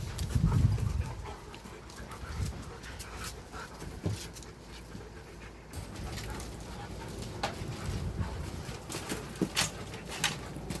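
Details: Three dogs at play: rapid, irregular panting and huffing breaths mixed with scuffling clicks and thumps, with brief sharp bursts of noise as the dogs move about.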